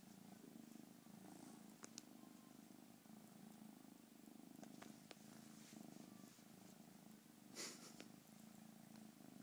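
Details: Cute kitten purring, a sustained deep rumble swelling with each breath, punctuated by scattered clicks and one brief rustle toward the end.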